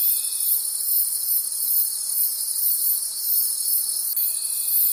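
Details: Crickets in a night-time forest produce a shrill, unbroken chorus with gentle rhythmic swelling; a faint steady tone appears briefly at the start and again near the end.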